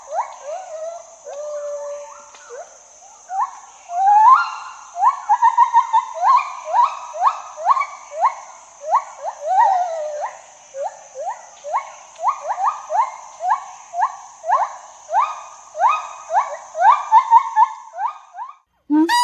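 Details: A gibbon call opens with a few softer, hesitant notes, then builds into a long, accelerating run of rising whoops. Loudness swells and ebbs across the sequence.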